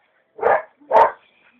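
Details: Young Belgian Malinois, not yet through its tooth change, at a short bite-pillow training session with a trainer; two sharp, rough barks about half a second apart, then quiet.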